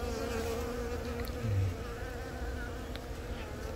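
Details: Honey bees around a young queen laying eggs, born from a natural swarm, recorded April 20 at Baegam, Yongin, Korea with a Galaxy Note10. A continuous low buzzing drone, with a faint thin tone early on and a slight swell midway.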